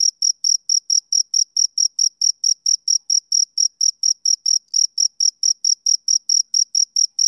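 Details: Male cricket chirping in a clean, repetitive pattern: crisp high-pitched pulses around four per second, each with a faint higher ring, against silence.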